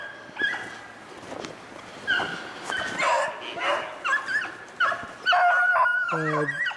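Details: Beagles hunting snowshoe hare on February 25, 2016, bay in a pack: drawn-out harmonic yowls rising and falling, some distant and faint, then a loud sustained bay near the end.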